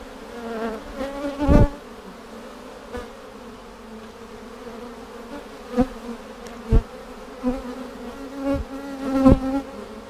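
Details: Droning hum of honey bees in a split hive being opened to look for queen cells a week after a vertical split made with a double screen divider board, March 10, 2019; even low buzz broken by repeated sharp knocks from frame handling.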